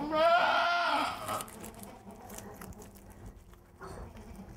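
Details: A Poitevine goat in labour with her first kids gives one loud, wavering, nasal bleat lasting about a second, followed by quiet rustling and a faint human murmur.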